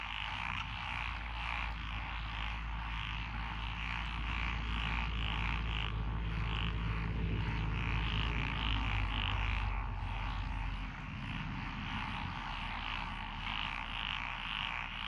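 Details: Frogs of several kinds, among them Japanese tree frogs and black-spotted pond frogs, croak in lotus paddies at Echizen, Fukui, Japan, 12 June 2021; rapid repeated croaks stay dense throughout while a heavy low rumble, like a passing vehicle, fills the background.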